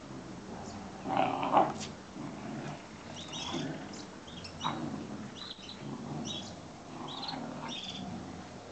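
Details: Young Giant Schnauzer, about four months old, and an adult Giant Schnauzer fighting over a cloth in play: a loud harmonic growl near the start, then bursts of rough snarling and short squeaky yelps scattered throughout, over low background noise.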